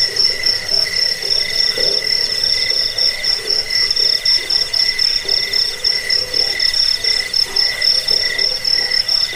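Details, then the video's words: Crickets singing for a rat-repellent, sleep and bird-tutoring recording: a piercing high steady trill dominates, with a quieter lower pulsed chirp and rapid rhythmic throbbing throughout. "Suara jangkik pengusir tikus pengantar tidur"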